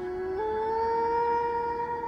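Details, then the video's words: A wolf gives a long, smooth howl that jumps up in pitch early, then holds a steady tone; wolves howl rather than bark. "wolves don't bark they howl"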